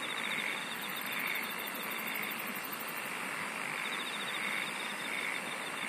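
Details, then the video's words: Insect song as a fast, very high buzzing trill lasting a few seconds, joined by a lower rapid pulsed trill and scattered chirps over a steady hiss. "SINGING OF INSECTS"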